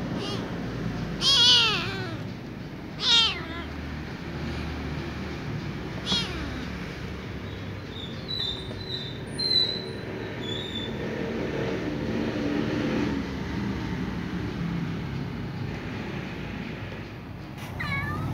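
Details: Little ginger cat meows on waking by the fire while other cats eat in the warmth: two short, bright, harmonic meows close together early on, then a long stretch of crackling, rustling and soft clicks from the hearth and the feeding cats.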